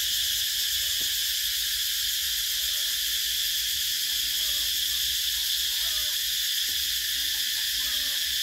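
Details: Cicadas calling in summer, one seamless high, sizzling buzz lasting the whole stretch at an unchanging level, with a few weak low tones behind it.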